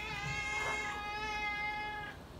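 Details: Srintil the pet cat crying for food, one sustained, loud, steady-pitched harmonic meow lasting about two seconds and fading at the end, over a faint low hum.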